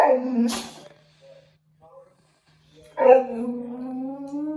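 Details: Male Boxer dog whimpering during a bath and blow-dry indoors: a short whine at the start, then a longer steady, slightly rising whine after a pause, with a low constant hum underneath.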